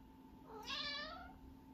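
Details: Pet cat indoors, asking to be petted after running around wildly; one short, soft meow that rises and then falls, lasting under a second, over a faint steady hum.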